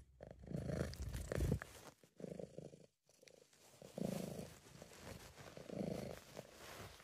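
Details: Low, throaty purring from Sabu, a pet British Shorthair, a sound described as a sign of feeling relaxed and happy; rumbling phrases swell and fade with each breath, one short silent pause midway.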